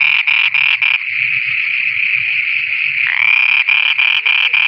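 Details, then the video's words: Frogs singing at night in Pakistan: loud, nasal pulsed croaks about four per second break into an unbroken buzzing trill for two seconds, then the rapid pulses resume, with faint low croaks beneath. "Frogs singing at night"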